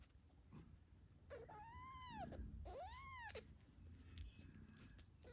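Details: Two drawn-out arching kitten mews, high and rising then dropping, from eight-day-old British Shorthair kittens with mother Moon Stone, over a faint low purr and soft shuffling.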